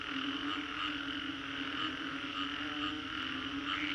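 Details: Frogs calling after a storm in the Green Corridor, Singapore, recorded as a 3D soundscape: a dense, unbroken chorus with a steady low drone and layered higher trills, shimmering throughout with no pauses.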